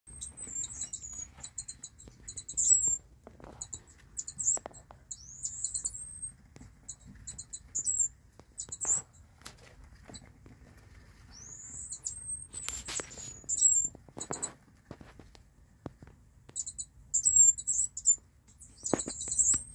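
Mongolian gerbils give thin, very high squeaks in short bursts, with soft scratching and rustling between.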